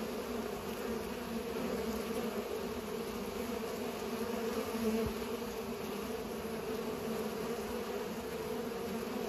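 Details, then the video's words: Bees at work pollinating make a sustained even drone, many wings humming together, with one brief soft tap about halfway through. "Bees are pollinating"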